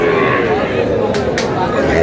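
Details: A brief steady moo from a Sahiwal bull calf, one of a group collected by a Munshiganj farmer, sounds under close chatter of men in a crowded trading place.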